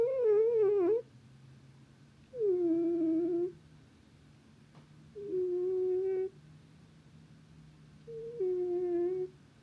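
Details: Sleeping cat snoring: four tonal, slightly wavering moan-like breaths, each about a second long, spaced roughly every two to three seconds, with a faint low hum running steadily underneath.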